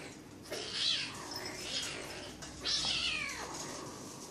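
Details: Bengal kittens sparring in play at a pet shop in Kuching, Sarawak, Malaysian Borneo; two high, hissy mews with falling harmonic sweeps around one and three seconds, over a low background hum.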